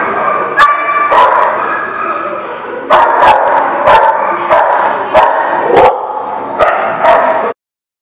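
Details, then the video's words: Dog barking repeatedly in a kennel-like setting, recorded 3 February 2018: a rapid run of about ten sharp, loud barks, some paired, with a high yip at the start and a steady background hum of other dogs. "The Barking Lot"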